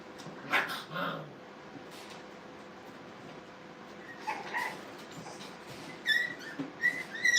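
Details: Playing Brittany puppies at a puppy training kennel give scattered soft whimpers, then a run of high, squeaky yips near the end, with faint rustling in between.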